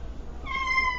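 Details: A domestic cat gives one short, steady meow. It starts partway through and holds an even pitch to the end over a low room hum.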